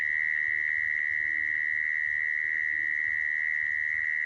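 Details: Continuous mole cricket trill, a sound used when trapping crickets: a single sustained, even, high-pitched buzz that never breaks or changes pitch, over a quiet low hum.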